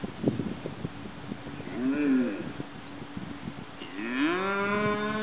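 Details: Mother cow in a farm field defending her calf from a group of vultures, recorded from a neighboring property: a short low moo, then a long, loud, rising and sustained bellow, with wind and rustling in the background.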